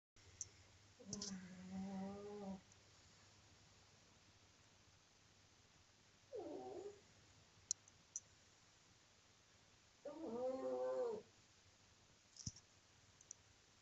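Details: Pug snoring loudly indoors: three drawn-out, droning tones with stacked harmonics, each lasting one to one and a half seconds and spaced four to five seconds apart like slow breaths, over a steady low hum.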